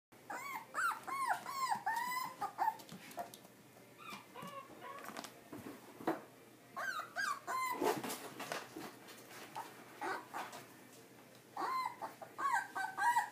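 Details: Kaninchen Dachshund whining indoors: high, wavering whines that bend up and down come in bursts separated by short pauses, mixed with scratchy clicks and shuffling sounds.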